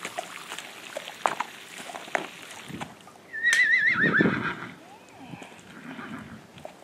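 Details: Tennessee Walking Horse mare enjoying a bath gives a short wavering whinny near the middle, shaky and high, amid splashing water, scattered knocks and quiet human voices.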